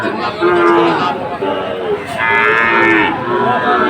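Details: Sahiwal bull calves at Aftabganj cattle market, Comilla, Bangladesh, on Saturday 17 August 2024: steady low moos, several overlapping, with crowd chatter and background music.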